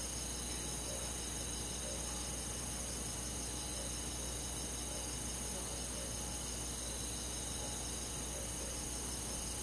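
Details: Crickets and other insects in a countryside forest on a summer night, a dense, steady chorus of high, fast pulsing trills layered together, with a low constant hum underneath and a few brief high ticks near the end.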